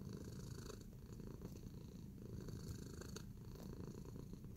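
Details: Domestic cat purring steadily while relaxed and kneading indoors; a continuous low rumbling purr fills the recording with faint soft clicks and rustles above it.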